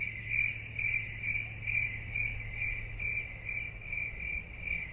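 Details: Cricket chirping steadily, with high, shrill pulses repeated about twice a second, overlaid by a second broken, higher-pitched trill and a faint low background hum.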